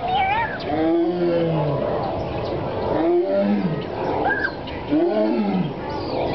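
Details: Zoo tiger giving repeated low, gruff moaning calls, roughly three in six seconds, each swelling and falling in pitch, with people talking in the background.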